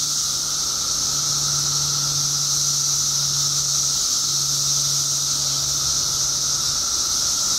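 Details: Billions of periodical cicadas, newly emerged in Illinois after 17 years underground, keep up an unbroken, piercing hiss with a lower drone. A low engine-like hum runs through most of the clip.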